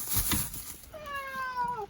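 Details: Domestic cat crying hard on the way to the vet, its voice never turning hoarse; after a burst of rustling and handling noise comes one drawn-out, tonal meow that slides slowly downward and ends abruptly, recorded indoors.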